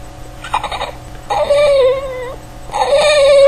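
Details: Reginald, a male Boston Terrier, making his trademark noises indoors: bursts of high, wavering whines and a drawn-out yodelling moan with rich harmonics, rising and falling, separated by short quiet gaps.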